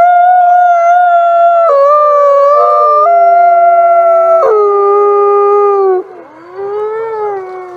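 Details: A wolf howling at night gives a long, sustained howl that slides downward in pitch in several distinct steps.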